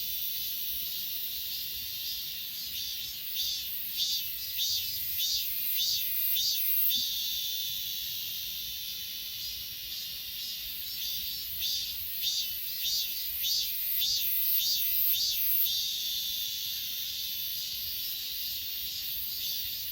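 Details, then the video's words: Grass insects at Achasan, filmed on an S20 Ultra, give bursts of sharp, evenly spaced chirps, about ten in quick succession, then pause and repeat, over a constant high-pitched background drone. "아차산 풀벌레소리"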